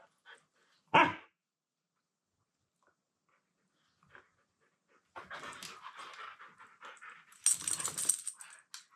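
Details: Two Siberian Huskies wrestle in play indoors as one, Timber, gives a sharp bark and then a run of harsh, wavering, low-pitched talking noises.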